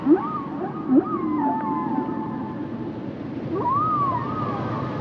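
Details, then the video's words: Humpback whale song under water: short upsweeping moans around two to four hundred, then long tonal wavering whistles near one kilobyte range that rise and fall, with a steady ocean hiss behind. "Sounds and Songs Of The Humpback Whales"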